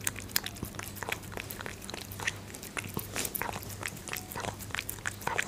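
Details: Munchkin kitten eating dried fish, close up: rapid, crisp crunching and biting clicks, several each second, irregular in strength, over a faint steady low hum.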